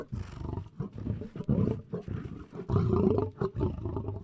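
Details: A lion gives dense, gravelly roars and growls in quick succession, the rasping bursts tightly packed with short breaks, strongest in the second half.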